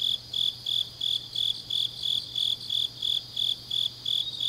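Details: Autumn grass insects on a deep night in Changnyeong, South Gyeongsang, South Korea: a steady high chirping pulsed about three times a second, with a continuous higher insect trill beneath and a faint low hum.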